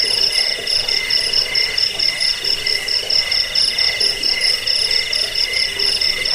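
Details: Continuous shrill cricket chirping, offered for driving off rats and as a model for caged birds; layered high pulsing trills run evenly with tiny rhythmic swells and sharp clicks on top.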